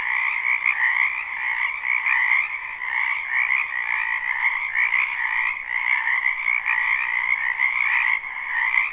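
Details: Frogs croaking en masse in a backyard wetland during spring, captured live with no looping; a steady, buzzing chorus of overlapping calls that never pauses, with occasional sharp ticks breaking through.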